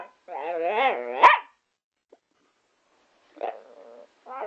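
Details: Pet Patterdale Terrier 'talking and singing' gives a wobbling, whining yowl that rises to a sharp squeak, then falls silent. Two shorter moaning whines follow near the end.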